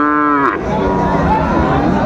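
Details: Sahiwal bull calf at Raniganj cattle market in Dinajpur, 27 June 2024: one short, harmonic-rich moo at the start that breaks off abruptly. Market chatter and men bargaining continue underneath and after it.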